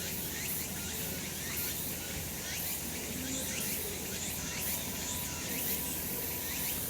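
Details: A brief stretch of cicada chorus from a sunny summer mountain: a thick, high buzzing wall of sound with quick repeated pulses and steady loudness.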